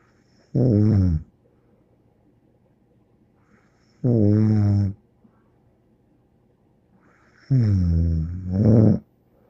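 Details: Snoring from Bear the dog, three deep, harmonic rasps roughly every three to four seconds, the last one doubled into a quick pair of breaths; the room is otherwise quiet.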